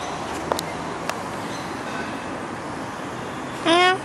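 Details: A single brief meow near the end from a playful stray cat following along: clear, tonal and slightly arched in pitch. It follows quiet traffic hum and a couple of sharp clicks.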